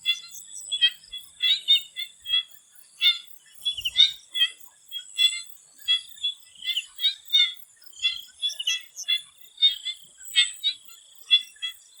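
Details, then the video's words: Frogs in a Thai swamp before sunset keep up a busy, choppy chorus of clipped, rattly croaks in uneven bursts, while a thin continuous insect whine holds steady high above them. "The Relaxing sound of swamp frogs"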